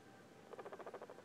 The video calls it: What does this guinea pig sound mean?